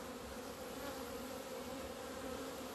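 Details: Honey bees out of their hive on a sunny February day in 2020, their first outing after two months. A dense, level drone of many bees carries on without a break, with a steady low pitch and background hiss.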